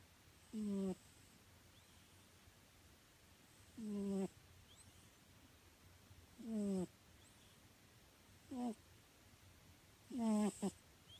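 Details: Sleeping house cat in deep slumber, snoring steadily: five buzzy, harmonic snores that slide downward, spaced roughly every two to three seconds, the last one doubled, in a quiet room.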